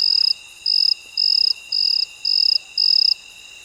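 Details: Cricket chirping at midnight: six steady high-pitched trills, each about a third of a second long, repeated roughly every half second over a constant faint background hum, with no other animals or voices.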